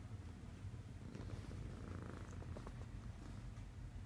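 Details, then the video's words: Miracle, a sleeping female pet cat, snores softly. A steady, low rumbling breath sound continues without pause, with faint clicks and rustles above it and nothing else of note. "CUTEST CAT SNORING"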